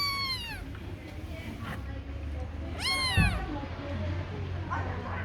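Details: Kitten gives loud, bright meows that start high and slide downward, three calls about every two and a half seconds, the last softer, over a low background hum.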